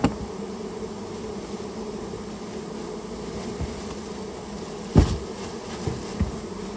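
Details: Japanese honey bee colony, nested in a storehouse and being removed: a constant low buzzing hum of many bees, with one loud knock midway and a couple of softer taps afterward.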